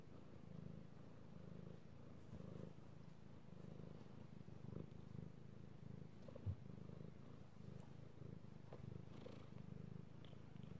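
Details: Pet cat purring contentedly as it is stroked, recorded 3/16/18; a continuous low buzzy rumble with faint soft rustles and small clicks of handling scattered through.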